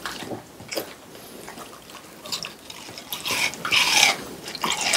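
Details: French Bulldog eating watermelon, recorded up close for ASMR: soft scattered smacks, then bright, crisp juicy crunches growing louder toward the end.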